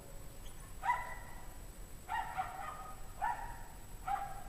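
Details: Barking from a pack of apparently unhappy dogs on a 17°F January evening in 2009; four clear, evenly spaced harmonic barks about one second apart, with a quiet background.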